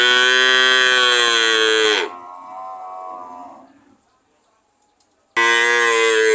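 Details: Cow mooing: a loud, sustained harmonic moo that drops in pitch at the end, followed by a quieter fading tail, silence, then another loud moo beginning abruptly.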